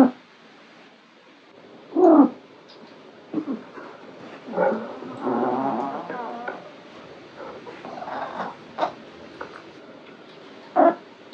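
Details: Foxie, a relaxed, fluffy orange male Maine Coon cat, makes odd sounds at home while stretching: short harmonic chirps and groaning, warbling meows in separate bursts near two, five, eight and eleven seconds, with quiet pauses between.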